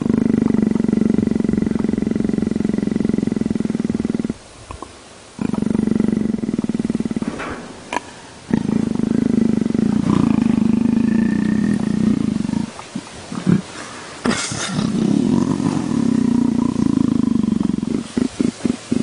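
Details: A leopard purrs in a continuous low rumbling hum, interrupted by several brief gaps and some scattered clicks and knocks.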